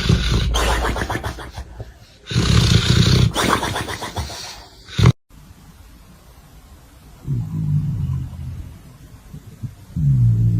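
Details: Dog snoring in its sleep, a few harsh, throaty rasping snores in quick succession during the first five seconds, then an abrupt cut to a quieter stretch with softer low snores near the end.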